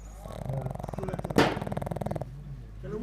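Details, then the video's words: Sleeping Pug dog snoring, a coarse low rumble of rapid fluttering pulses lasting about two seconds, with a sharp click in the middle and quiet room sound after. "Pug Dog Snoring"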